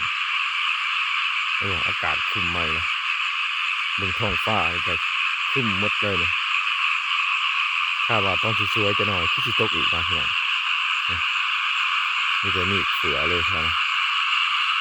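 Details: Frogs, locally called khiat mo or khiat na, calling in a rice field under an overcast sky as rain threatens; harsh, rattling croaks come in short bursts of two to four every two seconds or so, over a steady high insect-like hiss.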